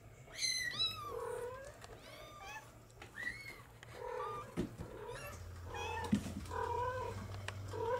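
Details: Young Bengal kittens from July 2022 litters, a trio and a singleton, mewing in quick overlapping bursts, some thin and rising, others shorter and lower, over a steady low electrical hum.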